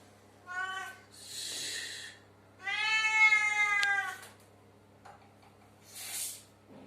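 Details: A pet cat indoors in a bathroom, meowing; a short harmonic meow, then a longer drawn-out, slightly wavering meow, with breathy noisy sounds between and a steady low hum throughout.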